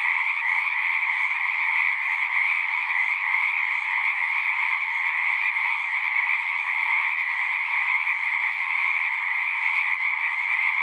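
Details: Dense chorus of many frogs singing together as a relaxing nature sound, a continuous overlapping trill with strong bands near two and one kilohertz-range pitch, steady without pauses, no other clear sounds.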